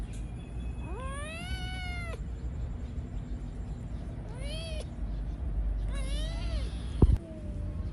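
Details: Cat giving drawn-out meows, three rising-then-falling wails each lasting about a second, over a steady low background hum, with a sharp knock near the end.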